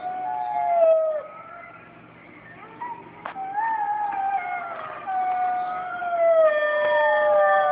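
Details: Playback of wolf howls for puppies: drawn-out overlapping tonal howls, one falling at the start, others rising and sliding, forming a sustained chorus with a brief click.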